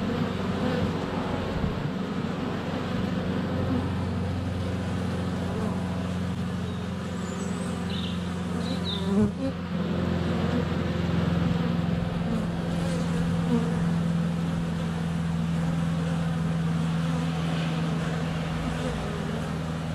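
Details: Honey bees in flight at a hive entrance on a sunny February day, filmed up close with a GoPro Hero 7 Black; a dense, steady low buzzing hum of many wings fills the clip, with faint high bird chirps around the middle.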